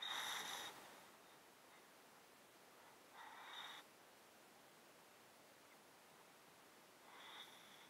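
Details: Sleeping domestic cat in a box with a chronic illness making it sound snotty, recorded close up; breathy, congested exhales at the start, middle and end, each under a second, with steady background hiss.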